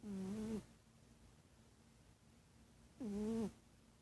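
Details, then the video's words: Cat snoring in its sleep; two droning, slightly wavering nasal snores about half a second long, separated by nearly three seconds of quiet breathing and faint room hiss. "Snoring cat"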